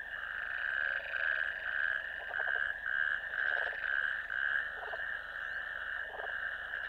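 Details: Natterjack toads in a ditch, heard calling in a long, loud, rattling trill that holds steady, with brief dips every second or so, and a lower croaking voice joining in between.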